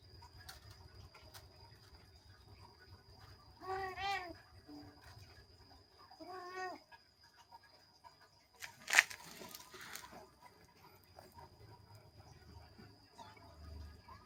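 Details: Playing kittens mewing twice in short, wavering, harmonic-rich cries a few seconds apart, followed by a sharp clattering knock and scuffling sounds of play, over a constant faint high hum.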